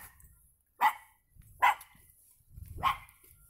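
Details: Dogs barking near a small yellow house for sale on an autumn town street in Anapa, Russia, on 12 November 2017; three sharp, separate barks spaced about a second apart over low street rumble.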